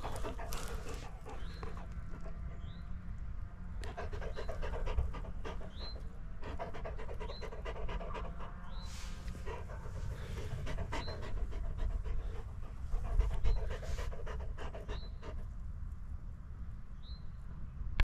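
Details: A Bracco Italiano dog wandering in the fields pants steadily in quick rhythmic breaths, while a bird gives short upslurred chirps every second or two in the background.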